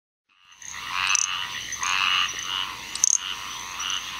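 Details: Little grass frog (Pseudacris ocularis), Onslow County, North Carolina, 7 June 2015: thin, very high insect-like chirps over a dense buzzing chorus of squirrel treefrogs (Hyla squirella) in the background.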